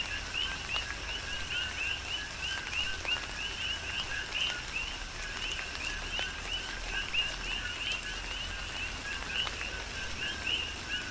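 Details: Coqui frogs calling together in tropical rain on Hawaii's Big Island, their rapid two-part "co-qui" chirps stacking into a continuous rhythmic chorus above a constant hiss of falling rain and occasional louder drops.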